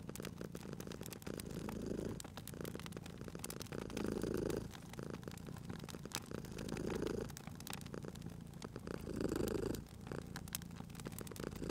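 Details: Sleepy cat purring beside a crackling fireplace in a cozy spring ambience, its steady low rumble rising into louder breathing cycles every few seconds under constant snapping fire crackle.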